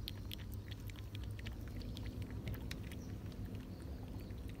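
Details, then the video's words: Summer-day feeding of cats eating and drinking milk: busy, uneven crunching and lapping clicks, roughly three or four a second, over a low background rumble. "Cats eating 🐈 cats drink milk"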